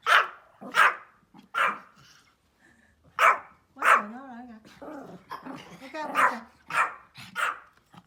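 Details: Outdoors, a small Pomeranian gives funny, sharp barks about a second apart, with a short lull, then a run of quicker yaps mixed with softer whiny, voiced sounds.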